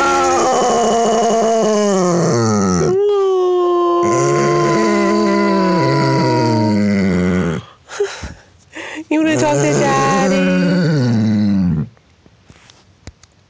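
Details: A Basset Hound howls in long, wavering, mournful tones that rise and sag in pitch, apparently to his owner on a call at Christmas.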